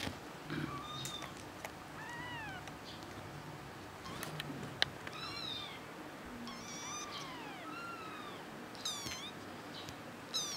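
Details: High-pitched kitten mewing almost throughout, repeated arched cries that swoop up and fall away, some short and chirpy, others drawn out and whiny, with gaps of a second or so and soft room noise beneath.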